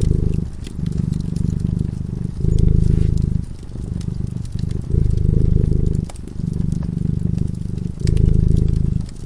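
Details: Sleeping by a cozy fireside, a cat gives a low, continuous purr that rises and falls in long phases of one to two seconds, while the flames crackle with light snapping clicks.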